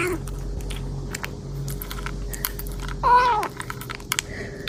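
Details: A kitten eats voraciously and gives one short, rising-and-falling meow amid steady crunching and chewing noises.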